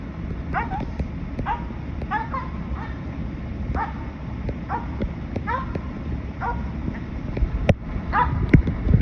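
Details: Finnish Spitz hunting dog treeing a squirrel: a steady run of sharp, ringing barks, roughly one per second, over a constant low rumble of wind or road noise.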